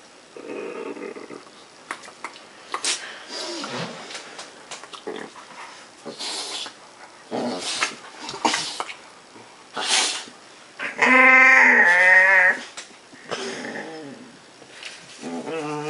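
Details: A puppy making funny, weird noises indoors: a series of short grumbling and growly sounds, then a long high, wavering whine, followed by more brief whimpers, with rustling and handling noises between them.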